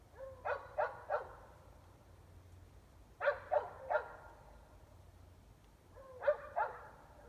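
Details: Dogs barking at night around 8 pm in Emmett, Gem County, Idaho, about 400 feet away and mostly indoors; groups of three sharp barks separated by pauses of about two seconds, over a low steady hum.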